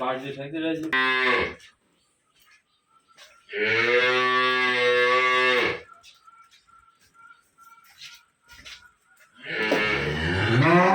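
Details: Dairy cows on a farm in Khulna, Bangladesh, one with a heifer calf: a long, deep, harmonic-rich moo lasting about two seconds. Shorter lowing comes at the start and a rising, wavering moo closes the recording, with quiet gaps between.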